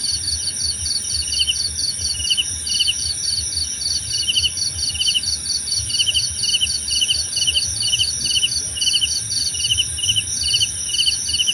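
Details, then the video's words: Crickets chirping steadily in a relaxing nature soundscape, short pulsed chirps repeated rapidly at two high pitches, over a constant high insect drone and faint low rumble. "Suara Jangkrik Membahana!"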